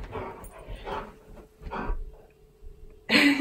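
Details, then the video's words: Pet husky Key refusing his collar in the morning; short moaning, whining yowls in a row, then a loud rising yowl at the end, with a person asking to put the collar on. "Morning Routine With My Husky Arguing About Wearing A Collar Again!"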